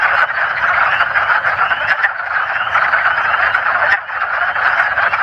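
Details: Male wood frogs call using paired vocal sacs, giving rapid, hoarse, quack-like clucking croaks that blend into a steady, duck-like chatter, with high-pitched spring peepers in the background.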